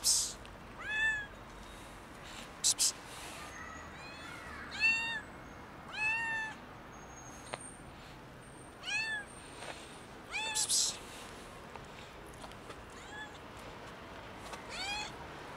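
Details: Tuxedo kitten meowing as if it's the end of the world: a steady series of loud, drawn-out, arching cries roughly every one to two seconds, with faint background clicks and outdoor hiss.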